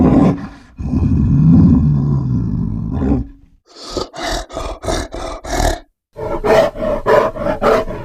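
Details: Grizzly bear letting out a long, low roar of about three seconds, followed after a brief gap by a rapid run of forceful, rhythmic huffing grunts, roughly four per second.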